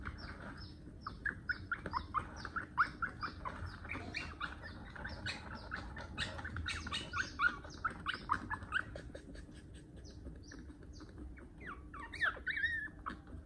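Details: A one-month-old puppy whimpering and yelping nonstop as its overgrown nails get clipped. Dense, shrill, wavering cries tumble over one another, with occasional louder yelps rising above a low background hum.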